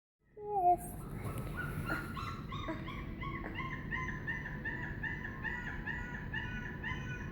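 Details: A dog howling: a long sustained wavering tone with rich stacked harmonics, holding steady and drifting slightly in pitch for several seconds after a brief higher yelp at the start, over a low rumbling background.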